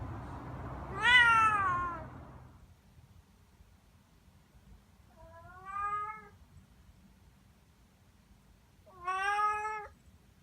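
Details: Young domestic cat, a talkative tabby-and-white aged three to ten months, gives three separate meows: a long falling first cry, then two shorter rising-falling mews spaced about three seconds apart in a quiet room.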